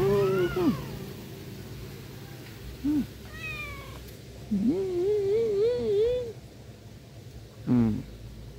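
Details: Black domestic cat that sleeps on its owner's belly, giving several meows: a falling mew, a short chirp, then a long wavering trilled meow, and a final brief rising mew, over a low household hum.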